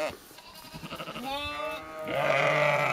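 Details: Sheep in Skåne, Sweden: after soft shuffling noise, a wavering mid-pitched bleat, then a second louder, lower and harsher bleat held to the end.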